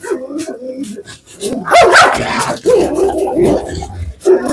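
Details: A long-caged dog lets out rough, harsh barks, clustered in the middle and end, over murky background noise and overlapping voices.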